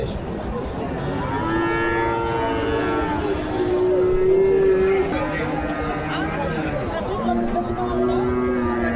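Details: Heifer cattle at a livestock market in Joypurhat, Bangladesh: long, steady, tonal moos rising and holding, one lasting about three seconds and another near the end, over a constant murmur of market crowd and voices.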